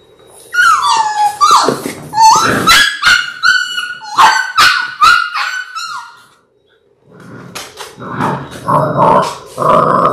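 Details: Six-week-old Labrador Retriever puppies, a litter of six born January 18, 2022, on an indoor puppy cam: loud high whines sliding downward, then yelps and short barks, a brief silence, and more rough barking.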